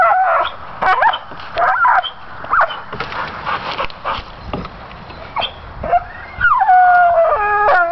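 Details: Pit bull stubbornly chewing on pine branches, making scattered short whines and yips mixed with rustling and crunching of wood, ending in a longer falling, wavering whine.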